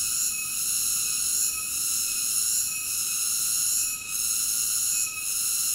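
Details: Cicada song as a constant shrill hum with faint rhythmic swells and two brief dips near the end, with no background voices or other animals.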